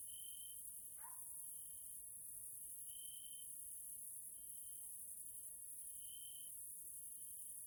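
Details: Evening grasshopper chorus (Caelifera) in a nature area of Hungary, Central Europe: a continuous thin high trill that brightens in short bursts, a dense high-pitched hiss above it, and one brief falling chirp near the start.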